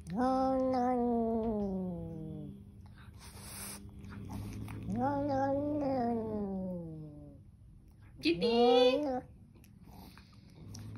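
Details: Three drawn-out, complaining yowls from an angry kitten: the first two are long and slowly descending, the last is short and higher. Soft rustles are heard between them.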